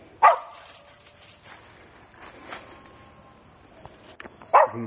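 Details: A young dog barking while treeing a gray squirrel in South Georgia after winding it from about forty yards: two sharp barks several seconds apart, with faint rustling between.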